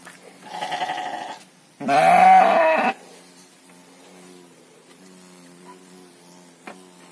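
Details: Farm sheep (domba or kambing gibas) being fattened give a softer bleat followed by a loud, wavering, harmonic bleat of about a second, after which only a low steady hum remains.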